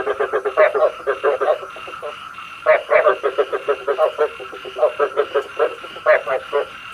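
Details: Frog calls recorded as a lure for night trapping with a bagua trap: bursts of rapid, harsh pulsed croaks, several callers overlapping, with brief gaps between bouts and a slightly tinny, speaker-like tone.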